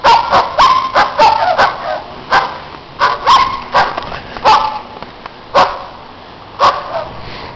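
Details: Loud neighbouring dogs on a snowy day, barking in irregular bursts, about one sharp bark per second, a few tonal yips mixed in, spacing widening toward the end.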